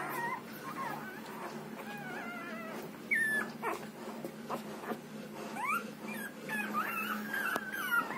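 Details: A 6-day-old Rottweiler puppy feeding on milk makes thin, high whimpers and squeaky whines, some rising and some falling, repeated unevenly, with soft suckling noises and a low background hum between calls.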